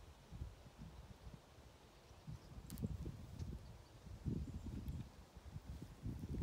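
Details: Ovenmitt, a domestic cat lounging on a garden table at a farm in County Kilkenny, Ireland, purring in pleasure while kneading with his paws on international cat day; low rumbling pulses rise and fall in breathing cycles, with faint rustling outdoors.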